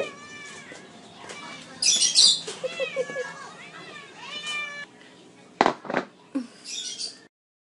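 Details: Hungry house cats call for food: a run of loud, insistent meows, some harsh and caterwauling, with sharp knocks and thumps and faint human voice, ending in silence.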